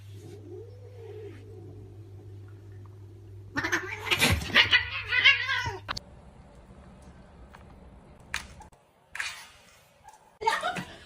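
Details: Pet cat with a soft arched meow at the start, followed by a loud, harsh, noisy outburst lasting about two seconds, then a few sharp clatters against a constant low background hum.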